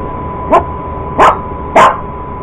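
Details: Purebred Cocker Spaniel barking while going after an iRobot Roomba robot vacuum indoors; three short sharp barks spaced about half a second apart over a steady mechanical hum.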